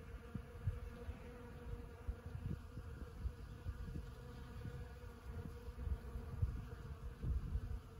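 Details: Honeybees buzzing around flowering sand buck brush (Ceanothus cuneatus var. fascicularis) at Los Osos elfin forest in the morning; a continuous low hum from numerous bees, swelling as individuals pass close, over a soft low-frequency rumble.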